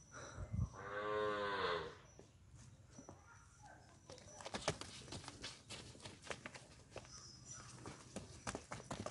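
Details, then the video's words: Punganur bull in P Gannavaram gives a short, rich harmonic moo lasting about a second near the start, followed by rustling, clattering and background noise. "Punganur Bull"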